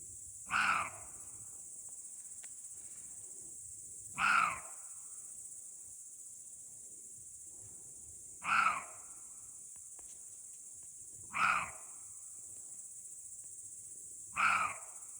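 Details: In a forest, a roe deer gives harsh, hoarse, dog-like barks every three to four seconds over steady insect buzzing.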